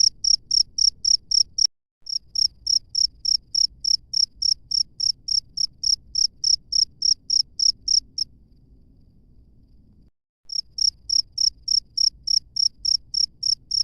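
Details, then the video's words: Chirping of a wild cricket: rapid, piercing pulses about three per second, broken by a sudden click near the start and a two-second silence before the even chirping resumes. "SUARA JANGKRIK LANGSUNG DARI ALAM BEBAS"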